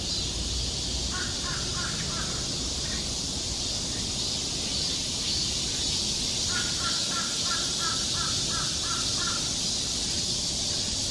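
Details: Steady shrill drone of cicadas in a Korean summer forest near Seoul, with two short bursts of quick repeated bird notes standing out against the chorus.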